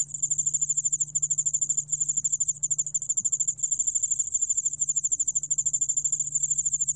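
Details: Yeoul-allak-bangul cricket, from a 2020 National Institute of Biological Resources recording, producing an unbroken high-pitched trill of fast, evenly beating pulses that shimmer steadily throughout, with a soft low hum underneath.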